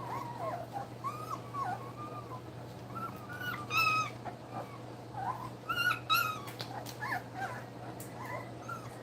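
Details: Nursing puppies two weeks old make a string of short, high, bending squeaks and whines, scattered irregularly, with brighter bursts around the fourth and sixth seconds over a constant low electrical hum.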